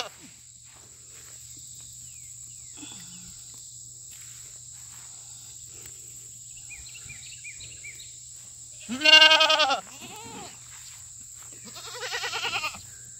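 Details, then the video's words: Fainting goats calling loudly at a farm on a treat day of fresh cut grass: two strong wavering bleats near the end after a quiet stretch, a steady high electrical whine throughout, and a few faint bird chirps in between. "Loud Goats & 1 almost faints."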